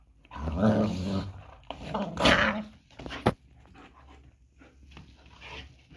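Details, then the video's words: German Shepherds fighting during mating and breeding: two loud bursts of harsh, throaty growling in the first seconds, a brief sharp snap, then quieter panting and shuffling, in an indoor setting. "german shepherd fighting during mating and breeding"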